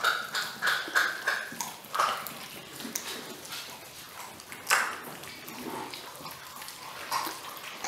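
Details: Six-week-old Weimaraner puppies, getting chicken wings for the first time, give short, high yelps and squeaky whines in quick, uneven bursts.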